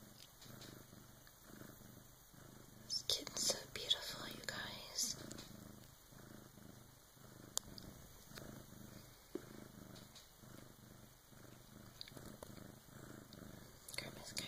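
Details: A Bengal cat purrs steadily in a low, rhythmic rumble, with soft whispering nearby, at about 3 a.m. as Bengal Karma's first kitten is born with help from her "big sis" cat.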